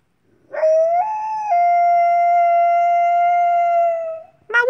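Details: A female gray wolf, a companion animal, gives a single long, clear howl that swoops up, then holds a steady tone.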